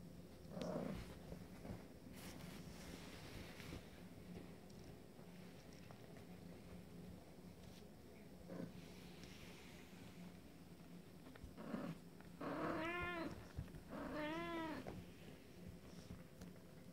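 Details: Abyssinian kittens from a first litter, 24 days old, on a short first outing from the nest; after rustling and soft handling noises, two clear high harmonic meows arch up and fall back near the end.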